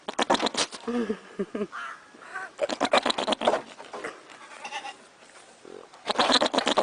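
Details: Goats bleating in short, wavering, nasal bursts among loud knocking sounds and a human voice.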